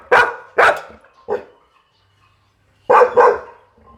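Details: Pit Bull dog giving short, punchy barks: two quick ones, a softer third, silence, then a tight double bark.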